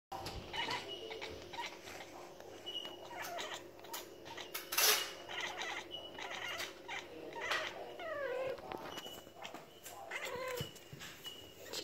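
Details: Female pet cat Niru quacking at lorikeets in trees outside, excited by birds she can't reach: short descending harmonic chirps near the end, with faint background noise and a person's voice following.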